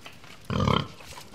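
A pig gives a single short, rough snort, a low pulsing burst of about a third of a second.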